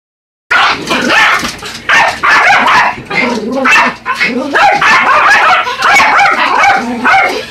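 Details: Two Yorkshire Terriers, Buddy and Elmo, attack a remote-control truck with rapid, high yappy barks and yips in dense overlapping bursts, a short silence before the first bark.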